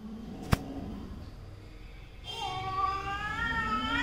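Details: Domestic cat during a quarrel between a mother and daughter cat: after a sharp knock and quiet rustling, a sustained rising, wavering yowl begins midway and continues to the end.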